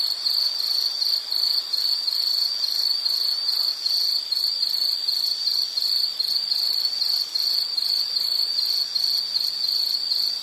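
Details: Calming insect chirring meant for background listening while studying or sleeping: one sustained shrill tone chopped into rapid, evenly spaced pulses, steady in loudness throughout, no birds or voices.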